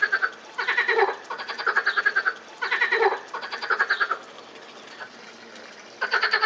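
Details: Frogs calling at the Botanical Garden, Lausanne, on 20 April 2018. Rattling croak bursts of rapid pulses, roughly a second long, come in clusters, with a quieter pause near the end before calling resumes.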